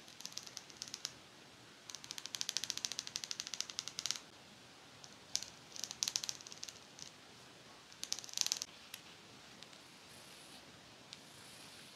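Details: Dry scratching and clicking bursts in a quiet room, with no animal voice heard.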